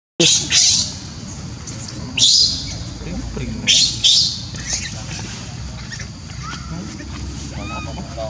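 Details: Left alone by his mother Libby, newborn monkey Leo cries in Siem Reap's Angkor Park: loud raspy screams, each a sharp burst that fades, spaced irregularly a second or so apart over steady low rumbling background noise.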